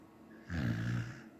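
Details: Sleeping Samoyed dog giving one low, rumbling snore of under a second, a buzzy vibrating breath with harmonic bands, set against a quiet room.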